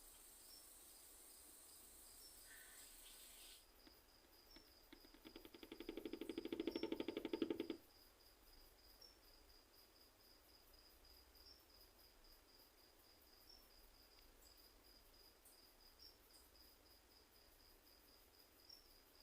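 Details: A katydid (Nesonotus reticulatus) on Guadeloupe gives a burst of dense, rasping ticks against a steady, high, pulsing insect trill.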